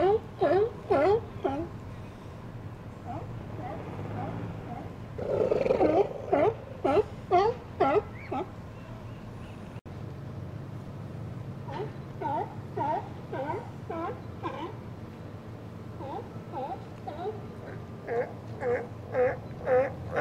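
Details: Several Steller sea lions, residents of an outer harbour, chat together on a sunny January 2012 day: rapid bursts of hoarse, harmonic barks, a louder rough call near the middle, then a lighter chorus of repeated calls over low rumble.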